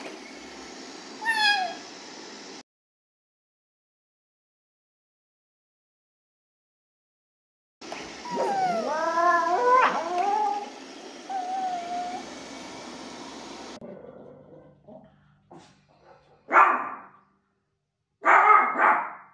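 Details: A male Maltese puppy waits for his owner to come back, giving high, wavering whines and yelps, then two sharp barks.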